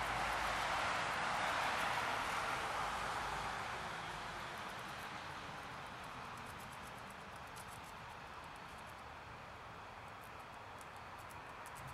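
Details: Steady broadband rushing noise, loudest in the first few seconds and then softening, with no animal voice heard.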